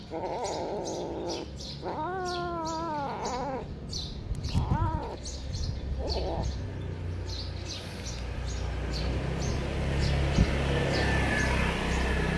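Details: Cat with one clear drawn-out meow, then two brief shorter cries. A steady low hum and background noise fill the rest of the recording.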